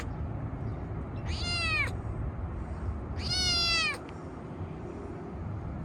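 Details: Park-dwelling stray kitten meowing while petted after a feeding: two clear, falling, harmonic-rich meows about two seconds apart, the second longer and louder, against constant low background hum.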